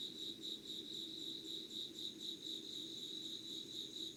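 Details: Late-summer insect chorus near Yugawara, Kanagawa, Japan, early morning of 25 August 2019: continuous high-pitched chirping that swells and dips in rapid pulses, roughly twice per second, over a soft low background rumble.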